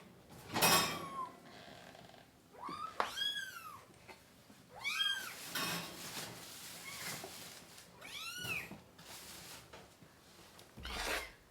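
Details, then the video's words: Kittens of a mother cat with three kittens, indoors while being dewormed and hand-fed, give several high arched meows with rich harmonics, scattered between clattering and handling noises. "Too MANY Crying Baby Kittens!"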